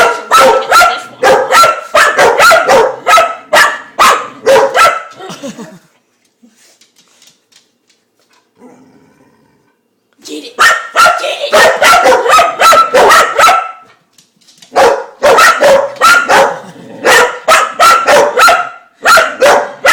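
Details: A house dog barks at a dishwasher spinner she finds fascinating: rapid runs of sharp barks, roughly two to three per second, lasting about five seconds each, broken by a quiet pause with faint voices before the barking resumes.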